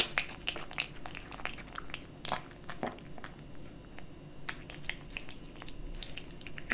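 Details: Close crunching of a kitten eating dry and wet cat food, with quick clusters of sharp bites and clicks coming every second or so in a quiet room.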